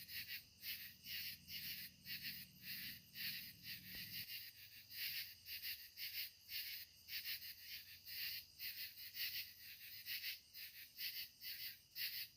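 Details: Katydids singing in the evening at sunset: a chorus of high, raspy, pulsed buzzes repeating in a steady rhythm, with a faint low hum during the first few seconds.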